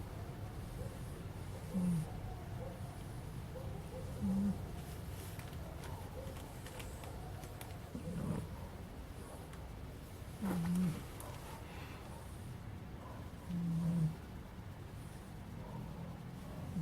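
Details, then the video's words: Sleeping puppy snoring, with soft low breathy snores every few seconds and quiet gaps between them. A faint background hum runs throughout. "Divertido perro bebé roncando"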